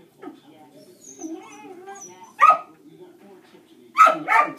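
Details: Dog barking during a shaping training session, the dog being trained reactive to other dogs. A woman speaks softly at first, then one sharp bark comes, followed by a pair of quick barks near the end.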